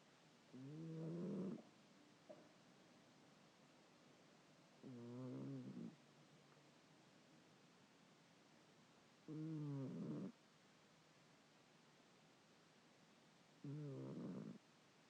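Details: Sleeping pet cat snoring indoors: four harmonic, rasping breaths about four seconds apart, each roughly one second long, low and wavering, with quiet background hiss between them.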